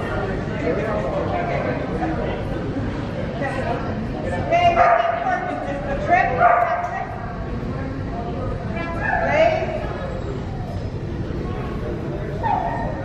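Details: Old English Sheepdog during a Master Jumpers agility run; a few sharp, tonal barks spaced one to three seconds apart rise above constant talking and crowd noise.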